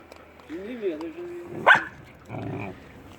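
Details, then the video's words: Two hungry stray puppies roam around a house looking for food. A wavering, tonal whine rises and falls, then holds steady for about a second. A sharp clatter and a burst of rougher noise follow. "Two Hungry Puppies"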